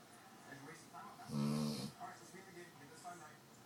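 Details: Snoring from a Presa Canario dog: a single harsh, droning, half-second snore with a breathy rasp, set among soft, indistinct human talk in a small room.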